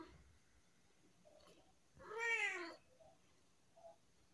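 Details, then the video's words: Chatty tabby cat indoors producing one rising-then-falling meow lasting under a second, between faint quiet squeaks in a hushed room. "My cat has a lot to say today"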